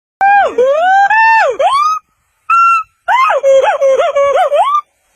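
A monkey gives loud, tonal, wavering cries that swoop up and down in short bursts.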